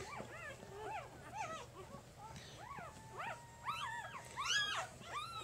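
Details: Three-day-old pup from Jig's litter mewling almost nonstop: around ten short arched squeaks, getting louder and higher toward the end, with a low electrical-style hum underneath.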